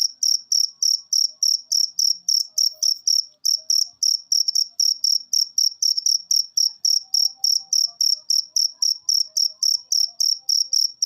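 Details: Cricket chirping in a masteran recording meant to get lazy cage birds singing: sharp, high, pulsed chirps repeated steadily, about three to four each second, with only faint soft sounds behind.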